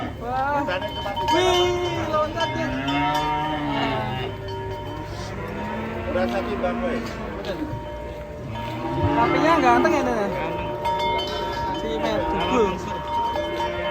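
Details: Huge, heavy cattle being unloaded from a truck give long, low moos that bend up and down in pitch, several drawn-out calls across the stretch, with people talking, background music and a steady tone underneath.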